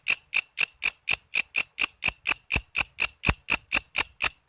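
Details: Rapid series of crisp, high-pitched clicking pulses, roughly three to four per second and evenly spaced, from a walang kece insect recorded as tutor material for training songbirds; no other sounds.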